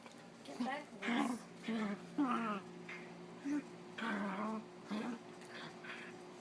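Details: Pet dog play-fighting indoors with another dog, making funny noises: short tonal grumbling moans with bending pitch, about eight separate bursts in six seconds, some rising then falling, over a faint steady hum.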